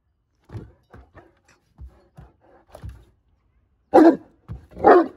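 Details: Great Dane Miss Dawson, a 14-month-old, 140 lb female, running and playing. Soft thumps and scattered footfalls lead up to two loud, deep, harsh barks near the end, about a second apart.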